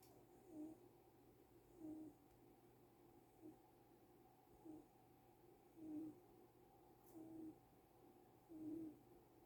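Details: Sleeping cat snoring comfortably with soft squeaky whistles: short nasal peeps repeated roughly every one to one and a half seconds, quiet and steady in a still room.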